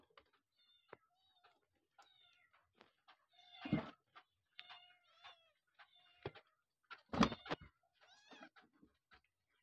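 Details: Abandoned kittens and their mother cat: many short, thin, high mews with harmonics come in scattered bursts, with two louder, fuller meows near the middle and the end, against otherwise quiet surroundings.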